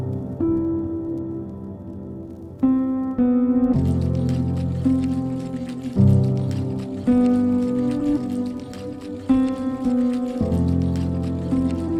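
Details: Gentle ambient music plays throughout, with sustained tones that shift every few seconds. No animal voice can be picked out.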